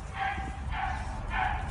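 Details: Vizsla gang, several dogs playfully mobbing a one-and-a-half-year-old toddler with kisses, giving three short barks about every 0.6 seconds, each with a tonal band and brighter upper energy, over a steady low rumble of room noise.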